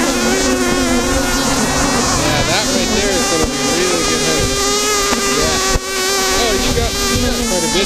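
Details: Africanized honey bee colony disturbed during honey removal, described as aggressive: intense buzzing with many close, whining wingbeats sliding up and down over a constant drone.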